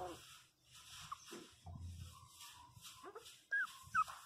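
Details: Pinscher puppy, 27 days old, crying indoors after falling and hitting its head; soft breathy sounds, then two short, high, falling whimpers near the end, with a woman speaking softly nearby.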